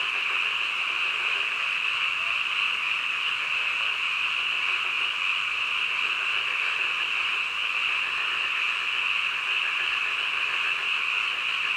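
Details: Midnight frog chorus, many voices merged into a continuous high-pitched trilling wash that never pauses or changes in loudness; nothing else is clearly heard.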